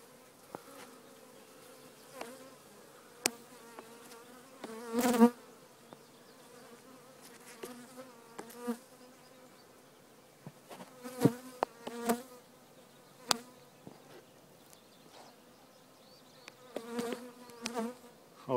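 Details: Colony of honey bees during removal of their hive from a chimney, giving a continuous low, even drone that swells in brief bursts, with scattered sharp taps, knocks and scraping sounds from the work.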